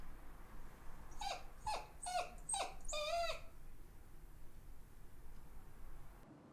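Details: A Shiba Inu dog cries with cute sounds while searching around for her sister; five high whining whimpers, each sliding downward, come in a quick run over about two seconds, then quiet room background.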